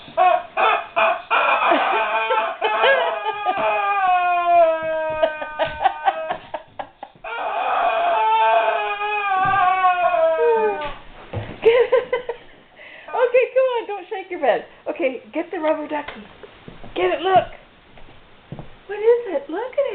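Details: Unsure what to make of a squeaky toy, a guard dog whines in drawn-out, sliding high notes that dip downward, later breaking into shorter choppy yelps and whimpers.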